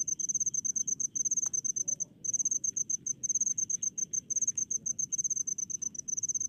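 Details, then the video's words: Rice-field crickets in a village setting, Indonesia: loud, high pulsed chirps in rapid bursts, one short gap around two seconds, with a single sharp click and quiet low ambient noise. "SUARA JANGKRIK DI PESAWAHAN"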